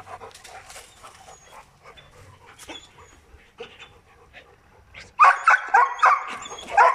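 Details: Protection dogs, a Presa Canario and a Malinois. After soft whines and a person speaking, a dog bursts into four loud, sharp barks in quick succession near the end.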